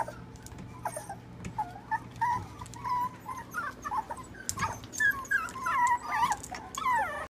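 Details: Small-breed puppies in an indoor puppy nursery at Huntington Station whimpering softly, thin high whines that bend up and down, coming in short scattered bursts over a constant low electrical hum.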